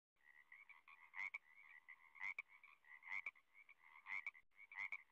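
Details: Frog calling: a steady high trilling buzz with sharper chirps breaking through roughly once a second, in a quiet setting.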